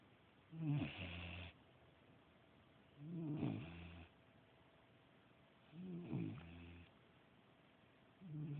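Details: Domestic dog asleep and snoring: four coarse, low-pitched rattling snores recur at a steady pace of about one every two and a half seconds, with faint hiss between breaths and no other sounds.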